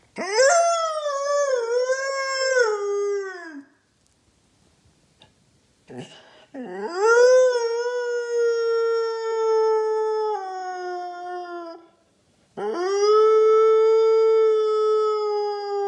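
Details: Siberian Husky Loki sings with his owner in the morning: three drawn-out howls separated by short silences, the first undulating up and down, the later two steadier and level, each several seconds long.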